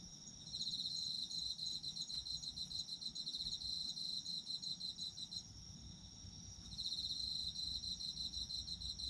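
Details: Autumn insects calling, with fast, evenly pulsed high chirping in long stretches, one quieter gap around six seconds, a continuous thin ringing tone behind, and faint low rumble.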